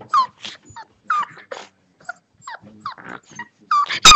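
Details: Boxer puppies, six weeks old, playing together: a rapid run of short rising yips and squeaky whines mixed with low rumbling growls, several calls every second, ending in a loud piercing yelp.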